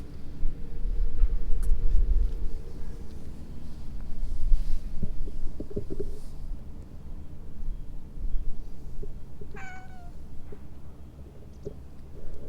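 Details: A stray cat calling from inside shrubbery gives one short, downward-sliding meow near the end, set against a steady low rumble like distant traffic.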